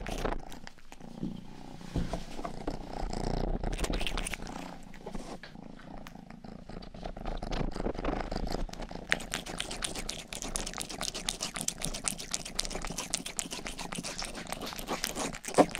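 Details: Domestic cat Rangi, the youngest of the family's cats, purrs continuously indoors in a soft throbbing drone, joined midway by a dense run of crisp licking and grooming clicks close to the microphone.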